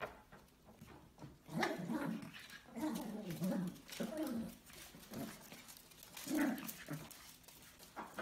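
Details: Donny, a Yorkshire Terrier puppy, meeting pet ferrets for the first time indoors; bursts of short, whiny yips and little barks come in clusters between pauses, with scuffling and pattering in a small room.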